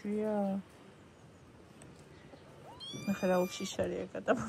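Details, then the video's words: Domestic cat meowing on a morning of 21 October, a short rising tone that climbs and bends near the end, overlapped by human speech in a small room, with a dog mentioned barking. "კატა კნავის"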